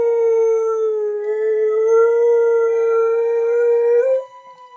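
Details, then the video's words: Jessie the dog singing along to playback of her own clip: one long, steady howl held for about four seconds, slightly rising at the end before cutting off, then quiet background sound. "Jessie the dog sings to her own Youtube clip"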